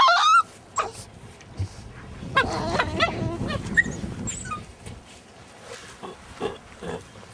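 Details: Two Alaskan Malamute puppies, a 5½-month-old and a 9-week-old, play fighting: a sharp high yip at the start, then scattered yelps, growly grumbles and whines over scuffling, with a few brief human words.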